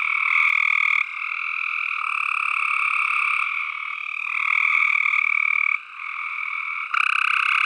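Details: Tree frogs trill nonstop in a dense chorus, their pulsed, rattling notes forming a lower and an upper band. Calls overlap and change roughly every second, with a short lull near six seconds.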